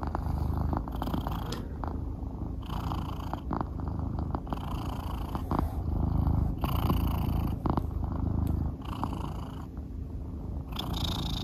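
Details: Pet cat Soonmoo purring steadily in the morning while following and seeking petting from its owner before he leaves for work; a low rhythmic rumble runs throughout, broken by brief rustling and handling noises indoors.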